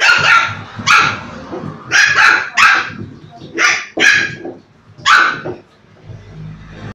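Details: Shih Tzu puppies in Turkey, producing sharp, loud barks in quick irregular bursts, about eight in five seconds, then fading into quieter background noise.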